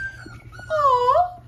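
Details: A Petite Aussiedoodle dog whimpers while nearby seven-week-old F1 Petite Aussiedoodle puppies cry; a soft high whine is followed by a drawn-out whine that dips, then rises again, lasting under a second.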